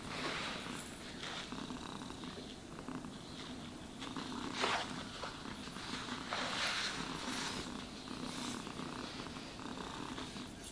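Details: Domestic cat purring steadily while being brushed and groomed indoors, a continuous low rumbling purr with soft brushing strokes sweeping over it and brief louder rustles.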